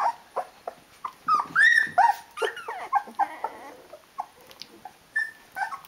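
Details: Sixteen-day-old Rhodesian Ridgeback puppies, a litter with eyes newly open, call for their mum to feed them; scattered short squeaks and whines with brief rising whistles, some pauses between bursts.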